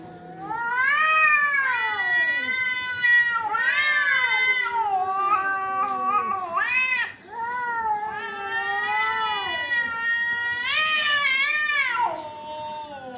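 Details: Cats fighting, giving long drawn-out yowls with rich harmonics that rise and fall in pitch, overlapping wails swelling and dipping almost without pause, with a brief dip in loudness near the middle.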